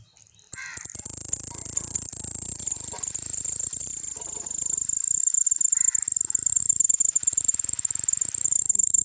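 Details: Cricket producing a continuous high, thin trill that holds steady throughout, with a few brief lower harmonic calls, likely birds, breaking in near the start and middle.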